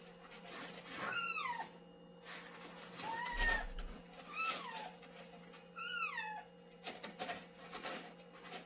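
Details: Domestic cat calling while using the litter box indoors; several short falling meows with bright harmonics, around four calls spread over the clip, with scratching and rustling noises and a steady background hum.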